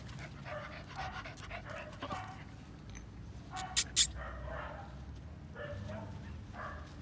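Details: Female Phu Quoc Ridgeback dog, fire-brindle with a black tongue, giving short soft bark-like bursts in uneven series, with two sharp clicks near the middle and a low background hum.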